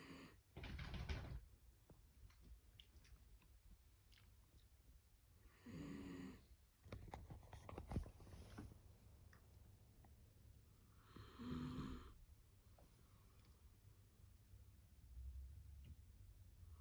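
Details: Tired dachshund from a multi-dog household, asleep with eyes open indoors, snoring: rough, low breathy snores roughly every three to five seconds, five bursts with a faint tonal rasp, quiet room between breaths.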